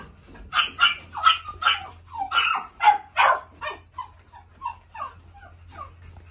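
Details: Repeated high, sharp barks from a toy poodle: louder yaps about twice a second at first, fading into softer, thinner yips toward the end, with a low background hum.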